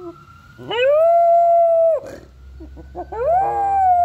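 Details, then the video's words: Pet dog howling along with an ambulance siren: two long, smooth, steady howls, the first held for more than a second, the second rising into a sustained tone, with a steady siren-like tone running underneath throughout. "Rex howling with an ambulance siren"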